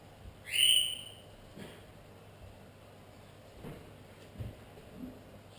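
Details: Pug cross puppies give one loud, high squeal that rises and then falls, with a thin overtone above it. After it come soft thumps and rustles in a quiet indoor room with a low steady hum.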